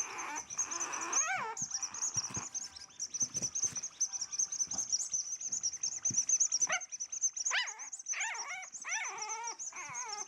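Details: Four-week-old French Bulldog puppies, bred in the USA, exploring on their first few hours away from their mother; thin high whines rise and fall in short bursts, clustering in the later seconds, over a steady high-pitched tone throughout.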